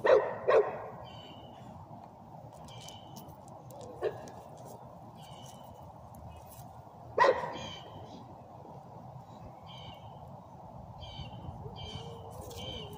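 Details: English bulldog barking: a quick double bark at the start, then single barks roughly three seconds apart, with small birds chirping and twittering throughout.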